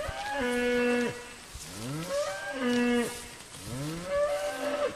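A cow moos repeatedly, long low drawn-out lows with rising and falling pitch, about one every two seconds.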